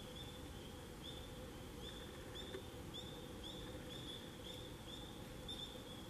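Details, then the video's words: Tree frogs calling among fall foliage on October 25, 2021, giving short, high, upslurred peeps at a steady pace of about two per second over a constant faint high hum and low rumble. "Tree Frogs singing among the beautiful fall foliage"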